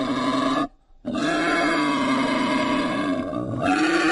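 A pig gives loud, drawn-out, rasping squeals broken by a brief pause.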